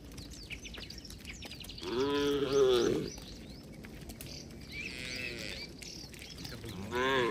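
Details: Tame cattle herd ambling along a village road toward their shed with a herder; a bent, drawn-out moo, softer calling sounds, then another moo beginning at the close.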